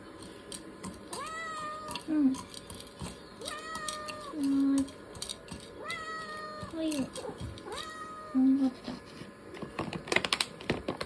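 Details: Young male Ragdoll cat, born in 2022, pleading for food with repeated long, rising meows about every two seconds, alternating with short low squeaks; clicks and clatter from food preparation near the end.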